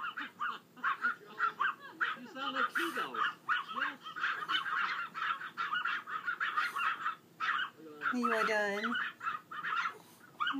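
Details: A small male Pomeranian howls like a wolf in choppy, high, honking bursts while a person talks and encourages him.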